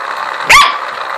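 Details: Corgi reacting with displeasure to a ladybug-shaped massager: one short, sharp bark over a steady buzzing hum from the massager.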